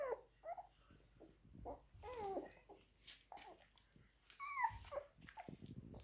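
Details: German Shepherd / Belgian Shepherd puppies, nine days old, drinking milk: thin high squeaks and short whimpers scattered irregularly, with soft suckling and shuffling noises between.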